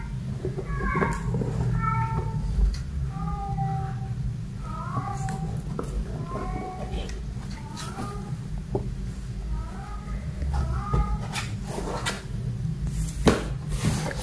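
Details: Cat and kitten, Oki and Ona, tussling over cardboard boxes indoors. A run of short, high, harmonic mews comes about once a second, with soft background music and Indonesian narration.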